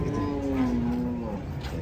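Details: Cattle being unloaded from a truck: a sustained, low, steady moo lasting about a second, slightly falling in pitch, with people talking nearby.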